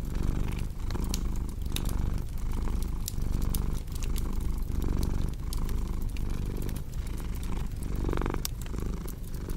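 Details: Cat purring in a deep, even drone that pulses with its breathing, under the scattered crackling snaps of a fire in a small room, arranged as relaxing sleep ambience.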